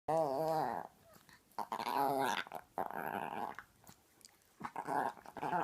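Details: Full-grown tiny Chihuahua, very vocal, playing with a six-month-old Chiweenie puppy and making gremlin-like noises: wavering, warbling growl-whines in bursts, the first long and undulating, then pauses and shorter rising-falling grumbles.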